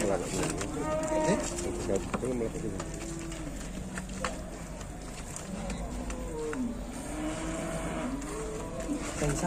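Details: Aggressive cattle being unloaded from a large truck in Indonesia, low drawn-out moos with bending pitch, mostly in the second half, under steady background noise with men talking nearby.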